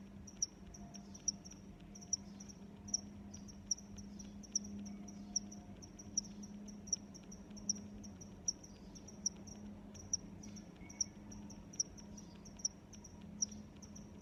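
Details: A long run of evenly paced high cricket chirps, about one per second, over a steady low hum.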